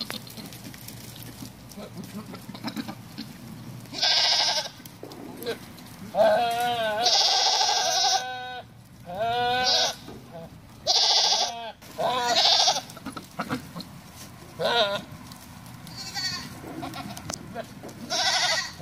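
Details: Herd of nineteen Bishi goats for sale, calling in a noisy chorus of overlapping, quavering bleats, several rising and falling in pitch, some long and drawn out, with short gaps of low background rumble.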